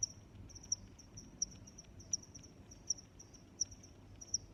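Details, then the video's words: High, ringing cricket chirps arrive at a regular pace, roughly every 0.7 seconds, over an unbroken shrill trill and a quiet low-frequency background. "Sounds of Crickets"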